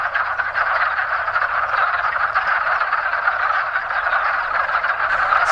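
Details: Many wood frogs calling together in their mating season, more arriving the longer one stands there; a dense, unbroken mass of overlapping clucking croaks holding steady for the whole stretch, with no other sounds standing out.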